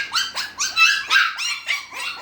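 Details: Six-week-old Havanese puppies crying, a run of about eight high whiny yelps, each bending down in pitch, evenly spaced about a quarter second apart, indoors.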